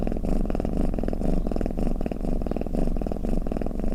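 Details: Domestic cat purring and snoring: a steady low rumble pulsing in quick breath cycles, about two swells per second, with no other sounds.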